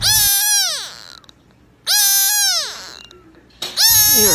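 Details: Kitten crying out in loud, high, falling meows, three in quick succession about two seconds apart, each sliding downward, with silence between.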